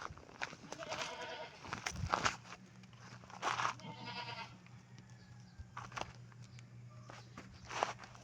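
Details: Goats raised at home, close to the house: a few wavering, nasal bleats of moderate pitch, separated by clicks and rustling, with a steady low electrical hum running underneath.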